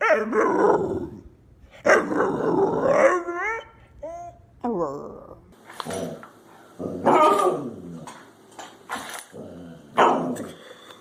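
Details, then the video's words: Domestic dog arguing with its owners, producing a run of grumbling, howl-like moans and warbling whines in uneven bursts, some rising and falling in pitch, with brief human voices between phrases. "Funny Dogs Talking and Arguing With Their Humans"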